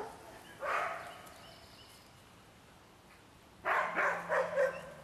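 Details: Large dogs barking outdoors during a walkabout, with one short bark followed by a pause and then a burst of several rapid barks.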